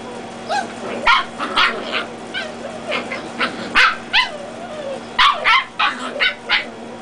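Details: Dachshund puppies, reds against black and tans, play-fighting indoors: a run of high, sharp yips and squeaky barks in quick bursts, some whining slides between them, with a steady background hum.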